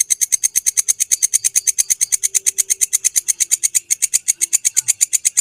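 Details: Belalang kecek grasshopper recorded as a master sound for training songbirds: a steady train of sharp, dry, buzzy ticks, several each second, bright and high-pitched, continuing evenly with no other sounds.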